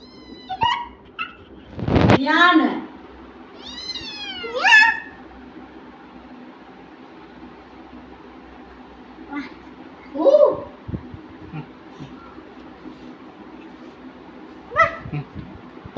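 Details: Kitten meowing indoors while two young children play with it: a few high, thin mews with bending harmonics, one near the start and a clearer pair around four seconds, between children's voices and long quiet stretches.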